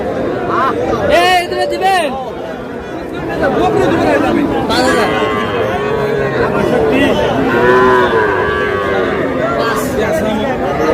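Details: Calves, small bulls and heifers, in a busy Madaripur cattle market, Bangladesh; a chorus of short and long moos with bending harmonics from many animals, mixed with loud crowd talk.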